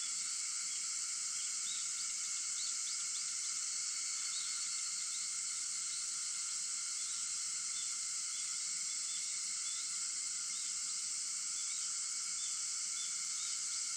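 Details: Early-morning cicada chorus recorded at 4:50 a.m. on August 4, a continuous high shimmering drone stacked in several bright bands, with faint pulsing flickers over the top; the wall of insect sound stays even throughout, with nothing else audible.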